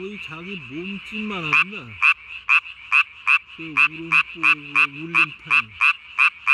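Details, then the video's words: Japanese tree frog at night, 3 May 2020, puffing its chin vocal sac to the size of its body. Human talking opens the recording, then loud clicking croaks follow in a quick, even run of about three per second, with more voices midway. "밤에 우는 청개구리 울음판이 몸통 만큼 크네요?"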